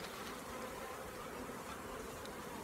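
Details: Honey bees in a small nucleus colony during queen rearing, opened while the beekeeper checks frames for pollen and eggs; a steady, dense, even buzzing hum runs throughout without pauses.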